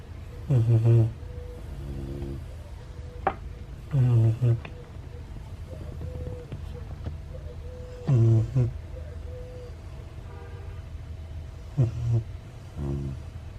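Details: A Siberian Husky puppy named Ace snores loudly in its sleep. Deep, throaty two-part snores come roughly every four seconds, with a faint soft whine and small clicks between breaths.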